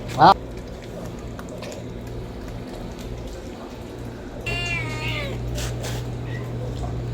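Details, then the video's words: Homeless domestic kitten meowing for food: one drawn-out, wavering harmonic meow late in the recording, preceded by a sharp brief knock near the start, over a steady low electrical hum and faint background noise. "homeless Cat's kitten meowing sound effect | Cats meowing for food"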